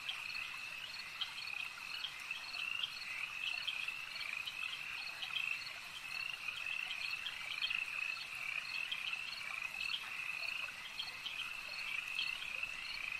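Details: Many frogs at a lake form a continuous shrill trilling wall of sound, with faint rhythmic pulsing and occasional louder individual calls standing out.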